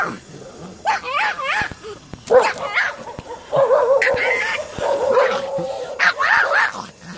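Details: Dogs barking and yipping in short, tonal bursts with wavering harmonics, scattered irregularly over several seconds, with a person's voice mixed in among the calls.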